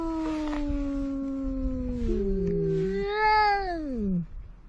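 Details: Two cats at the seaside, one a big ginger, argue: a long, low, gradually sinking growl-moan, then a sharper, higher yowl that arches up and falls steeply away.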